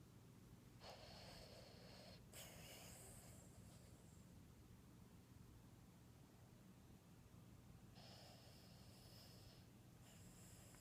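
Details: A female Boston Terrier snores in long, rasping, breathy bursts over a steady low hum while asleep.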